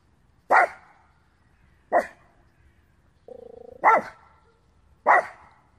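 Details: Small male Terrier-Pug mix dog from Romania, angrily barking after spotting a squirrel: four sharp, loud barks spaced roughly a second apart, with a brief low whine between the third and fourth, then a person asks a question.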